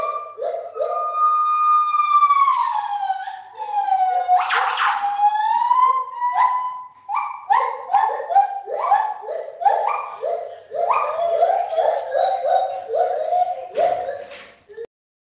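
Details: Captive gibbons in a zoo's main gibbon house, loud enough that keepers wear ear defenders, call with long, pure, siren-like wailing notes that swoop up and fall away, then break into rapid bouncing whoops, about two or three per second.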